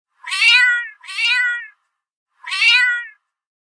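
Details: Little cat meowing in pain: three loud, drawn-out, strained meows, the first two back to back, then a pause of about a second before the third; nothing else audible.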